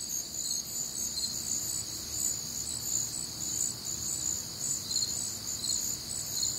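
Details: Night chorus of crickets recorded on a warm, humid summer night in the Midwest, a continuous shrill trilling in several layered high bands, with faint pulsed chirps rising and falling gently in loudness.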